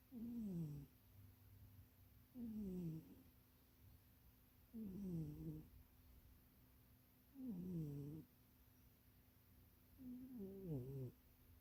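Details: Domestic cat named Munchie asleep and dreaming in an undersized box, snoring steadily: five low, rasping breaths roughly every two and a half seconds, each sliding downward in pitch, with faint room hiss between.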